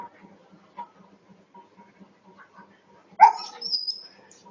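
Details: Dog reacting to a cat jumping over a wall: a steady low background hum with faint ticks, then one loud, sharp, harmonic bark just past three seconds, followed by a brief high squeak.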